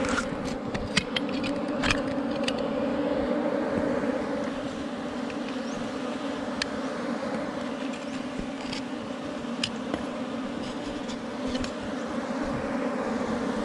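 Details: Honey bees at a wild forest hive under rocks, found during honey hunting; a steady low droning buzz holds throughout with two layered hum bands, and scattered sharp clicks and faint higher chirps sound over it.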